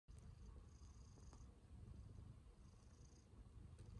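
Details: Domestic cat being affectionate, purring: a steady low rumble running throughout with rhythmic pulsing, faint high tones now and then in the background.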